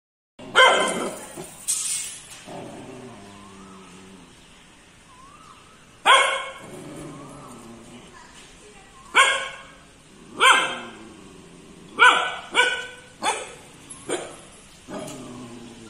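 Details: Three-month-old Kombai puppy guarding, giving loud harmonic barks, a pair at the start, then single barks, and a quick run of sharp barks near the end, with quiet gaps between.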